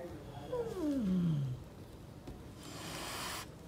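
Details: Angry mother cat, a street stray, guarding her kittens: a drawn-out moaning growl slides steadily downward over about a second, then a breathy hiss follows, with street noise underneath.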